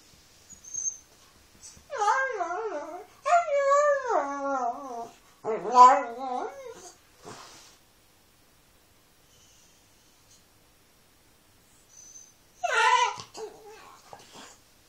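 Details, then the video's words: Dog indoors 'talking' in a series of wavering, yodel-like howls that rise and fall in pitch, in bursts of a second or two separated by short pauses, then a long silence and one last rising whine. "Funny talking dog video"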